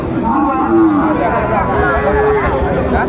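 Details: Sahiwal bull calves at the Ambari cattle market, 4 April 2025, where Chattogram farmers are buying: a low, drawn-out tonal moo rises and falls twice amid men's bargaining voices and busy market bustle.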